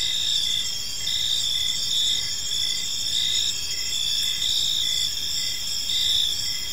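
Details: Crickets chirping on an evening in a park, a dense steady chorus of high trilling bands with soft pulses recurring roughly every half second, layered over a faint low background hum.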